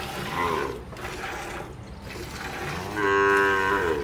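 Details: Dairy cattle, Gyr and Sardo Negro, on a farm in El Salvador: a brief low lowing, then after a quiet stretch a stronger, sustained moo near the end.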